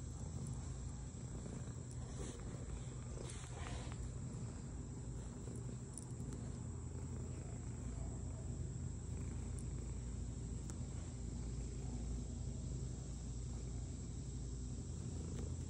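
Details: One of several domestic cats purring while people spend time with them; a steady, continuous low rumbling drone fills the whole stretch, with a few faint clicks and soft rustles on top.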